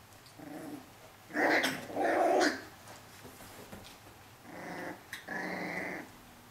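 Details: Four-week-old Pyrenean Shepherd puppy named Cilène, a curious female holding her own among her sturdier brothers; two short whining yelps early on, then a pause and two more drawn-out whines, all with layered harmonics.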